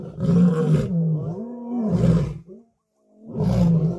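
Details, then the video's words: At a kill, lions, lionesses and cubs aggressively contest food under a dominance hierarchy. Two deep, drawn-out harmonic snarling roars with wavering pitch, a brief silence, then a third loud snarl. "An Incredible Fight of Dominance Over Food Among the Lions, Lionesses and Cubs"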